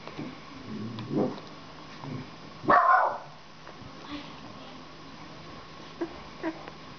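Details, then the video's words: Black Russian Terrier barking: a few isolated low, rough barks, one loud bark near the middle, amid faint background noise and quiet voices. "TERRIER NERO RUSSO"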